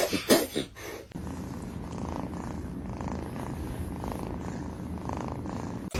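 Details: Domestic cat purring in a steady, low, pulsing rumble that runs unbroken for about five seconds, after a short burst of louder rustling noise at the start.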